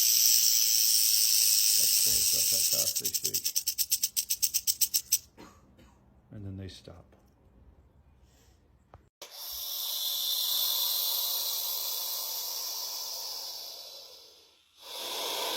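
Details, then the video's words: A captive rattlesnake, handled so it cannot bite, shakes its rattle in a fast, hissing high buzz. The buzz breaks into rapid pulses, fades, then returns as a steady rasp before stopping abruptly. "Как звучит змея!"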